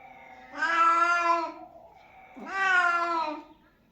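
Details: Cat meowing to attract other cats, two loud, sustained meows about two seconds apart, each swelling then fading, with near silence between them.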